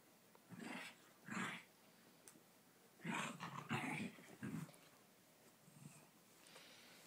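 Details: Havanese dog fighting with a Coton de Tulear in a small room: several rough growling bursts mixed with higher snarling yips, irregular and close together, quieter near the end.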